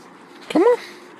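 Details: Eight-month-old Siberian Husky puppy giving one short whine: a quick tonal cry with bright stacked harmonics that rises, then levels off and stops after about a quarter second, over a quiet background.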